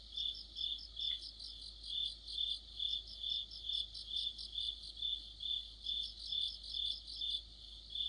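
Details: Short stretch of an autumn cricket chorus under a streetlight, evenly pulsed chirps roughly twice a second with layered higher trills from other insects, little else heard.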